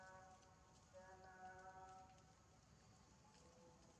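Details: Injured baby monkey Janna, her lip hurt, begs for food while hungry: a clear whining note held about a second, then fainter broken whimpers, against low rustling noise.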